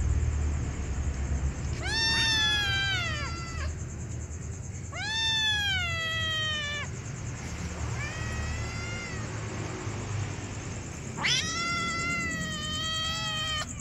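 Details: Hungry kittens meowing: four drawn-out, harmonic-rich meows, each slightly falling or arching and lasting over a second, spaced a few seconds apart, over steady low background rumble and a faint high whine.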